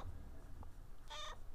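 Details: Male domestic cat asking for more food about an hour after eating; one short, clear, harmonic meow near the end over a low indoor rumble.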